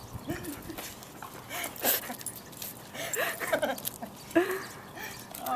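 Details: Female Belgian Malinois greeting her Marine owner after seven months apart during his deployment: high, wavering whines and short squeaks, mixed with a woman's excited, affectionate talking throughout.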